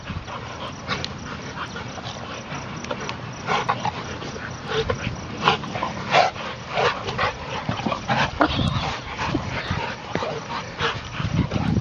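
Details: Five young bully-style dogs, aged four months to two years, romp through a game of basketball together; rough, broadband barks and growly bursts come in quick irregular volleys, roughly eighty a minute, over a steady background hiss.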